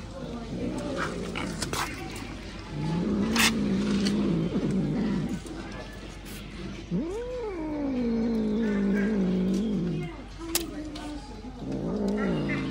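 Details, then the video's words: Kitten gripping a big fish in its mouth and domineeringly threatening nearby cats; long low moaning growls rise into a wavering yowl around seven seconds, then sink back, with short pauses between and clicks in the background. "The kitten holds a big fish in its mouth, domineeringly intimidating the cats around it!"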